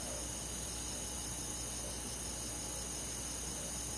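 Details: Unbroken high trilling of crickets and other insects on a summer night in the forest, several even tones layered over a quiet low background noise.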